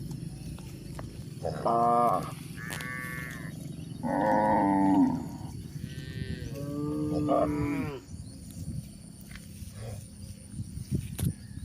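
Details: Cows walking on a hill in a rural setting, giving a run of short, wavering moos between about 1.5 and 8 seconds. Some calls rise and fall, and a few overlap. Quieter rustling and footsteps follow.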